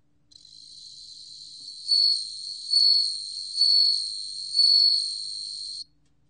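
A bell cricket sings a clear, high ringing trill that swells in bright pulses about every second.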